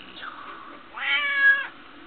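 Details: Smokie the pet cat answers her owner with a single strong, level meow lasting under a second. It is preceded by a fainter, softer vocal sound, and the owner's voice talks to her around it.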